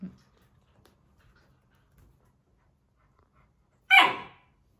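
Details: Labrador Retriever puppy scolding a person for disturbing him, indoors; near silence, then a single sharp yelping bark that falls in pitch, about half a second long, near the end.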